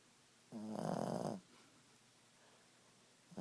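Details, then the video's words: Boston Terrier snoring indoors at nap time: one rough, buzzy breath lasting under a second with a low droning tone, then a short faint snort near the end; quiet room otherwise. "Snoring boston beauty."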